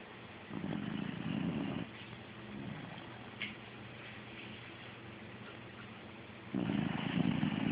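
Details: Sleeping dog snoring, recorded on an Android phone: two long, rough, low breathy snores a few seconds apart, each a dense rumbling burst, with quieter steady breathing noise between them.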